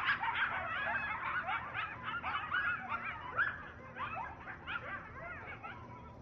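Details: A pack of coyotes near a backyard fills the air with overlapping yips, whines and short wavering howls.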